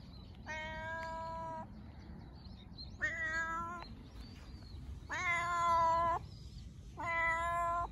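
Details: Domestic cat meowing happily, the kind of meow tied to affection, play and trust with its guardian: four long, steady, strongly harmonic meows about a second each, evenly spaced every two seconds against a low rumble.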